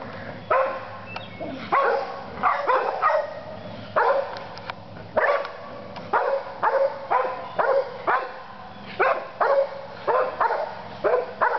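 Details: A dog gives a long run of clipped, harsh barks, often paired in quick doubles, spaced roughly every half second to a second, over a faint constant background hum.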